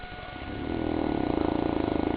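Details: A St. Bernard named Goliath asleep, snoring at his favourite pastime: a low, vibrating breath that builds from near silence into a steady rapid rattle.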